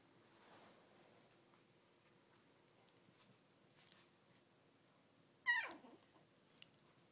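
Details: Brussels Griffon, Shih Tzu and Miniature Poodle mix puppies: after quiet rustling, one short, high whimper near the end slides steeply downward, followed by a couple of faint soft squeaks.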